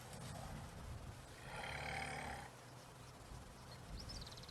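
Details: At sunset in Sabi Sand, South Africa, African bush elephants rumble, deep and throbbing, at a drainage. One young bull rumbles first, then the herd answers, after he went at another elephant while wanting a drink from a pipe.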